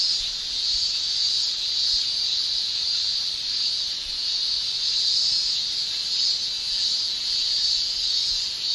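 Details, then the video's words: Male cicadas in a Japanese summer, producing their song with the tymbal: a steady, unbroken high shrilling with a gently pulsing loudness and no other clear sounds. "Japan Summer Cicada Shrilling Relaxing Sound"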